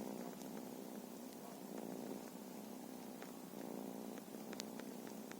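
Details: Purring from feral cats, a continuous soft rumbling hum that swells and eases slightly, with scattered faint clicks over a quiet background.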